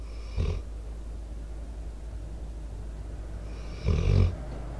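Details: A four-year-old American Staffordshire Terrier/Pitbull named Debo asleep close to a microphone. Two gravelly, low snores about three and a half seconds apart, the second longer and louder, over a quiet background hum.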